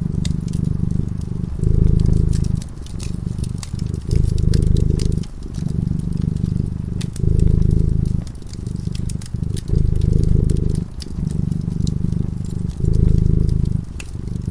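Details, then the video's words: Cat purring while asleep in front of a crackling fireplace: a deep, low rumble in steady phrases about a second long, broken by short breaths, with sharp fire crackles and pops throughout. "Purring cat"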